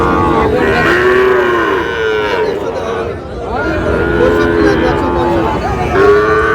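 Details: Young Sahiwal bulls for sale at the busy Thursday Raniganj market, Dinajpur, where a farmer from Tangail buys calves; several short arching moos follow one another, with a brief quieter gap midway and crowd chatter underneath.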